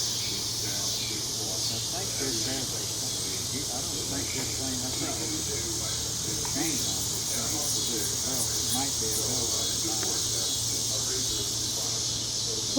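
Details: Mississippi Valley Brood XXIII periodical cicadas, a 13-year brood, on a June 2015 summer evening fill the air with a steady, high, hissing chorus as family members talk nearby.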